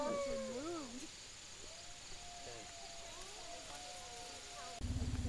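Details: Wolves at Wolf Park, recorded 9/11/10, with Tilly and Gordon named; long, steady howls held near one pitch for several seconds after a wavering opening, under background music and brief talk.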